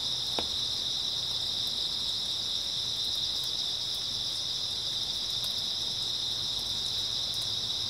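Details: Grass insect chirping through an early autumn night: a continuous bright, high trill from many callers, one brief click near the start, scattered faint ticks, and a soft low hum.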